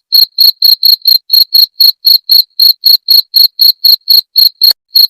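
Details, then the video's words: Cricket call used to drive away rats, called jangkrik genggong: loud, high-pitched pulsed chirps repeated about four times per second in a steady, even series with a brief gap near the end, no other sounds. "Suara Jangkrik pengusir tikus"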